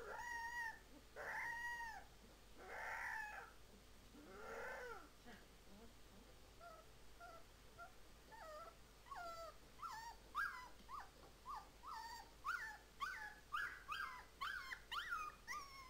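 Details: Siberian Husky puppy practising its howl: a few short, harmonic, arching howls over the first five seconds, then a quick string of brief rising-and-falling yelps and whimpers, roughly two per second, growing steadier toward the end.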